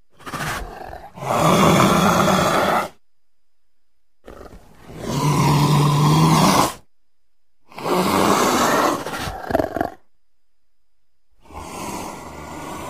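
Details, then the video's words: Leopard voicing a series of four drawn-out, rough growls, each lasting two to three seconds and separated by silent pauses of one to two seconds. "Leopard Sounds"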